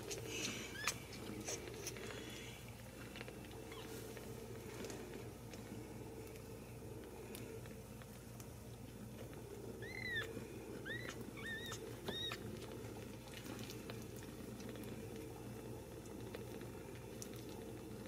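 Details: Ragdoll kittens raised uncaged in a home cattery in central Kansas give a quick cluster of thin, high arched mews midway through, over steady low background hum and faint clicks.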